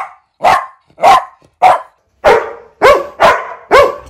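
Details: Domestic dog barking steadily, roughly one deep, full bark every half second, seven barks in about four seconds.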